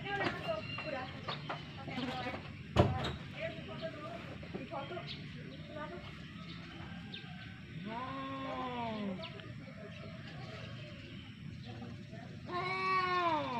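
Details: Fighting domestic cats produce two arched, wavering yowls late on, each rising and falling. Earlier there is clattering, a sharp knock and other background sounds.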